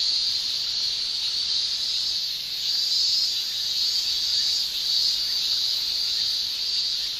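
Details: Japanese summer cicada chorus: males' tymbal song as a continuous high shrill, gently waxing and waning in waves every second or two, no other sounds standing out.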